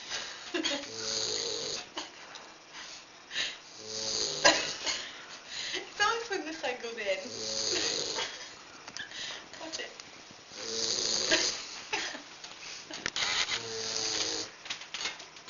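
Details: Edward Norton, a Great Dane puppy sleeping on someone's lap, gives hoarse, hissing snores about every three seconds while voices chat softly over and between the breaths.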